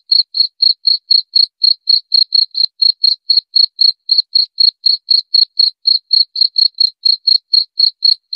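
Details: Steady cricket chirps, high-pitched and pulsing about four times a second without a break for over eight seconds, against a silent background.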